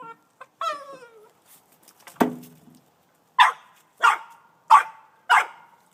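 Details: An 18-month-old male Boston Terrier, upset by a snow shovel, gives a high whine, then four sharp, evenly spaced barks at it.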